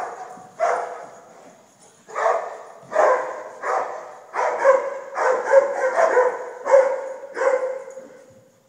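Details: A dog barks about ten times, with gaps at first and then faster barks in the middle, rough and mid-pitched, each trailing off in a short reverberant decay.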